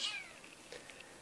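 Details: Domestic cat hunting a mosquito it cannot reach: one short, high chirp sliding steeply downward, followed by faint scattered clicks in a quiet room.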